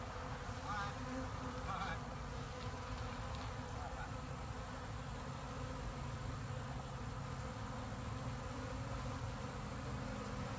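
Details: Honey bees being removed from a Russian 122 mm field gun at a museum in College Station, Texas, driven out with smoke and tea tree oil; a steady, dense low buzzing hum continues throughout, with faint voices early on.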